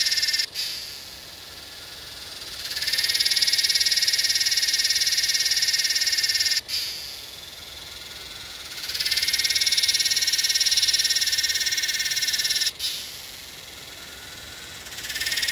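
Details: A Psaltoda harrisii, the Yellowbelly cicada, recorded in Northern NSW, Australia, 8/12/20, gives shrill rasping buzz phrases of about four seconds each, separated by quieter gaps, each rising sharply in loudness before cutting off.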